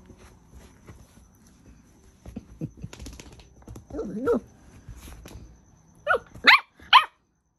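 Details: Two Miniature Pinschers, a merle female named Bonnie and a chocolate male named Draco, fighting for dominance; quiet scuffling and low growls give way to sharp, rising yelping barks in a tight burst near the end.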